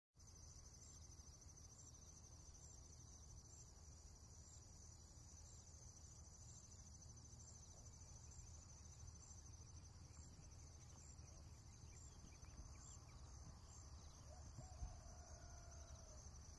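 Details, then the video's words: Insects calling on a countryside morning in Japan, a steady high trill with regular pulsing chirps repeated about every second, over a low constant rumble of background noise. "田舎の朝 虫の声"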